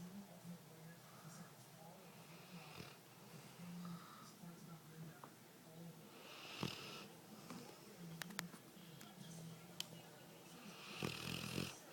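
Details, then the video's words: Two dogs, Dee Dee and Lillie, asleep, with Dee Dee the loud one: low droning snore tones and breathy wheezing bursts, strongest near seven and eleven seconds, over soft room noise and quiet human speech. "Snoring dogs"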